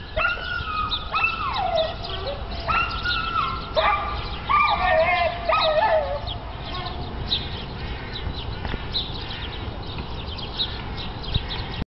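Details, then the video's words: A dog whining while squeezing under a fence: a series of high, tonal, wavering whimpers with stepped pitch, clustered in the first six seconds, then quieter fainter whines over steady background noise. "собака пролезает под забором и скулит"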